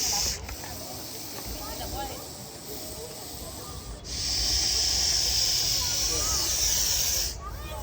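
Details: Coiled, agitated Russell's viper during a rescue in Maharashtra, hissing as a warning, breathing in and out, loud like a pressure-cooker whistle: long harsh airy hisses lasting several seconds each, separated by brief breaks, with a man speaking.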